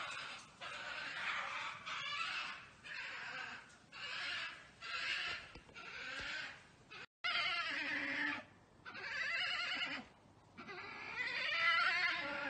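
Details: European badgers fight in a garden on 14 July 2019, one running at the person, with loud, grating, raspy squeals and screams in bursts of about a second that rise and fall in pitch.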